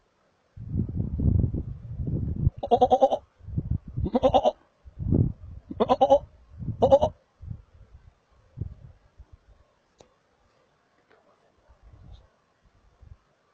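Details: A markhor calls in Chitral Gol National Park, Pakistan, giving a run of loud, nasal, goat-like bleats about a second apart, then softer grunts.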